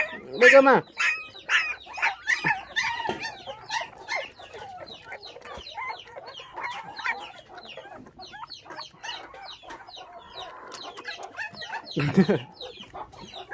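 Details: Orphaned puppies, five of them, bottle-fed after losing their mother to dog thieves at six days old, give a steady stream of short, thin squeaking whines; a human voice breaks in near the start and again near the end.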